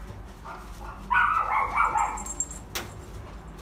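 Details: Female Kaninchen Dachshund puppy, shaded yellow, born 22 June 2019, at a pet shop; one nasal, whiny yelp stretching about a second, preceded by a fainter short whimper, over low background hum.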